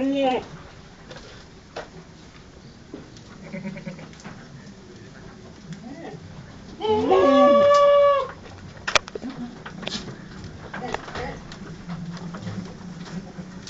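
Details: Etawah goat from Senduro, a large 130 kg animal, during mating: one loud, drawn-out bleat lasting over a second, rich in harmonics, set among quieter brief grunts and steady background noise.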